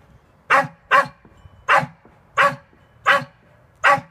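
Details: Sealyham terrier at earthdog practice in December 2016, learning to tunnel for a rat; six sharp, separate barks spaced about half a second to a second apart, with a man urging the dog on beforehand.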